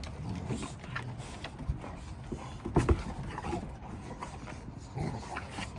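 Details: Rottweiler puppies play-fight with their mother, giving low, rough growls and grunts with a few louder bursts of scuffling.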